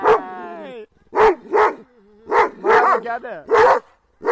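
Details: Kangal dogs attacking, a steady run of loud, harsh barks roughly every half second, with a drawn-out whine at the start and brief whimpers between barks.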